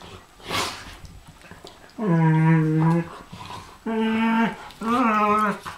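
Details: Pharaoh Hound and Ridgeback play-fighting: three drawn-out, rumbling growls of one to one and a half seconds each, with a voiced, harmonic, moaning quality and short pauses between, after a brief scuffling noise at the start.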